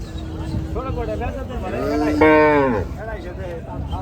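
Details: Big Gaiya cattle at a farm during unloading, one loud rich moo swelling and bending downward near the middle, framed by softer lowing from other animals and background chatter.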